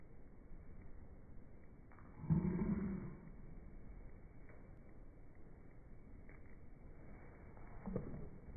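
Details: An American Cocker Spaniel catches a tug-of-war rope and gives a short, low, rumbling growl, with a fainter second one later; recorded June 2019.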